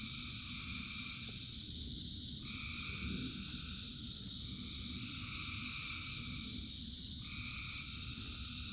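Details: Frogs by the thousands call in rain, their sustained trilling tones stacked at several pitches, with upper voices starting and stopping every few seconds over the drumming rumble of falling rain.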